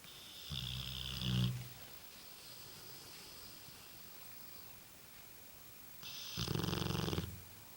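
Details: Tobias, a pet cat, snoring: two long rasping snores, one around half a second to one and a half seconds and another from about six to seven seconds, each a broad low rumble with a hissing upper band, quiet breathing between.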